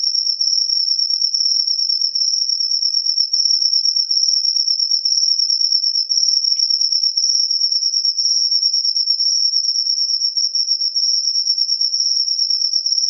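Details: Post-rain cricket song: an unbroken, very high, ringing trill of rapid pulses sustained throughout, with a faint tiny click near the middle and otherwise clean quiet background.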